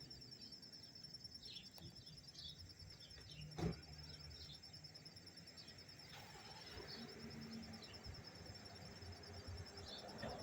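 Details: Cricket recorded up close in Tarrytown, New York, on September 27, 2023, chirping without pause: a steady, high, finely pulsed trill running through the whole stretch over low background rumble, with one brief sharp click midway.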